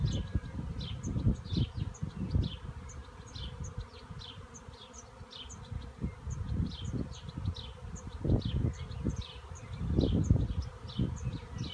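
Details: Honey bee swarm in a cherry tree: dense, low droning hum with pulsing swells, many bees buzzing together, plus short faint high chirps scattered across the recording.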